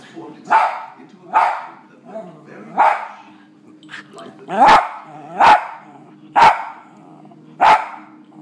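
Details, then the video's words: West Highland White Terrier indoors barking at dogs on TV: a series of sharp, loud barks, about eight over eight seconds, some paired closely, with a low steady hum underneath. "White Highland Terrier Barking at Dogs on TV!"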